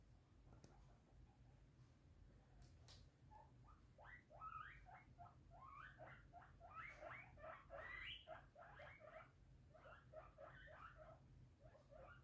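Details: Pet guinea pigs Violet, an English crested, and Teddy, an American teddy, kept alongside a Biewer Terrier named Lilly, give rapid runs of squeaky, rising-and-falling wheeks, dozens in quick succession, with a low steady hum beneath.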